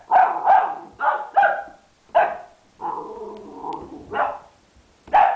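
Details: An 11-week-old boxer puppy named Ziggy barks at a red ball in short high yaps, then a drawn-out whiny growl before more barking.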